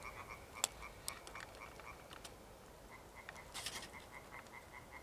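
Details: European tree frogs, a rare amphibian, call together on 1 June 2021 in an evening chorus of quick, rasping, repeated notes.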